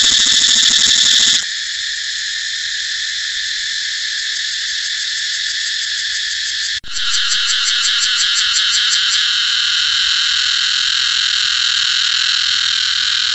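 A cicada sings a loud, steady, high-pitched buzz that holds almost without pause. Midway the drone cuts out for an instant, then resumes with a faint pulsing flutter before settling back into an even whine.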